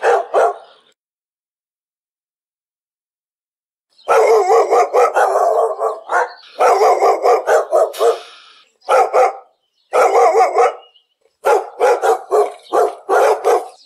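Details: Domestic dog giving long runs of quick, harsh barks after a brief opening bark and four seconds of silence, the volleys broken by short pauses and ending in spaced single barks.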